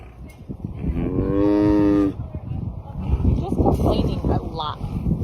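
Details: Captive tiger making noises outdoors under a blue sky, said to be complaining a lot: one drawn-out, harmonic, moaning call lasting about a second, followed by rustling, handling noises and faint voices.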